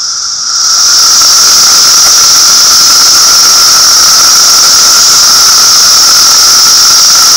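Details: Cicadas calling in a loud, shrill, unbroken drone with a strong high band and a fainter lower band; the sound swells up over the first second, then holds steady without pause.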